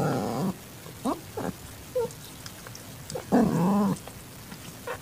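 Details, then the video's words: Female calitabby cat in heat accepting a young calico kitten, 6:30 PM on 8 September 2021: a few short chirps and squeaks, then a loud bending yowl that dips and rises over half a second. "Cat ASMR: Calitabby Cat In Heat Accepts Calico Kitten"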